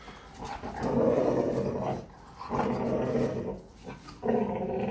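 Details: Presa Canario (perro de presa canario) growling during a morning exercise session. Deep, rough, harmonic growls come in sustained bursts of about a second, separated by short quieter gaps.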